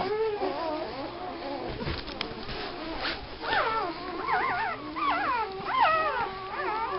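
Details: A litter of puppies yelps and whines, starting with soft wavering cries and building into repeated high, bent squeals about once a second, over a faint hum and a few handling thumps.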